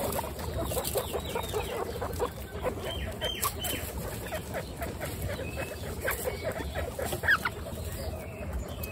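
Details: Twenty-six female pet guinea pigs kept together, giving many short overlapping squeaks and chutters in quick succession, with a few thin higher whistled notes mixed in over a steady hum.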